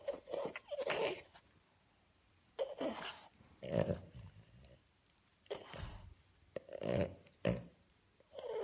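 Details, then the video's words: French Bulldog pup tickled by its owner indoors, answering with bursts of snorting, grunting noises in short clusters separated by brief quiet gaps, some with a throaty growl-like edge. "French Bulldog makes crazy sounds when tickled"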